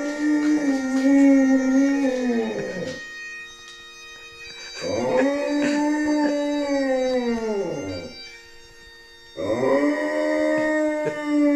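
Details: Rudy, a pet dog, howling along to Amazing Grace played on bagpipes: three long, steady, slightly arched howls of about three seconds each, separated by short gaps, with the bagpipe drone sounding continuously beneath.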